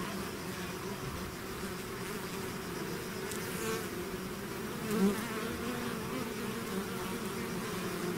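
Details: Bee swarm flowing out of a hive, a constant low hum of many wings with harmonics, one bee brushing past the microphone about five seconds in as a short sharp louder buzz.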